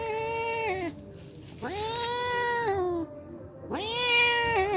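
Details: Daily visitor, a hungry homeless cat after milk, meows three times in succession, each long, harmonic-rich call swelling then sliding down at the end; quiet low background noise.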